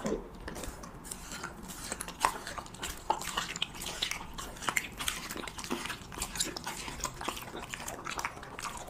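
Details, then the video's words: A Husky working through cheese-topped meat: continuous moist smacking and crisp bite clicks at an uneven, busy pace, some louder snaps standing out, nothing else clearly audible. "[ASMR MUKBANG] HUSKY REVIEWING CHEESE MEAT"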